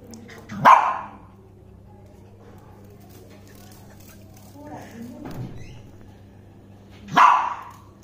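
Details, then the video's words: A male Lhasa Apso barking at a dragonfly: two sharp, loud single barks about six seconds apart, with a faint murmur and soft whine-like sounds in the quiet gap between them. "Lasha Apso-Yeshi barking at a dragonfly"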